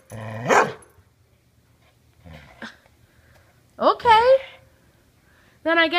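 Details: Indoor Border Collie holding onto a ball and 'talking' back: an opening whine-like yowl, a soft grumble, then a wavering, warbling moan and a final harmonic vocal burst, between a woman's coaxing words.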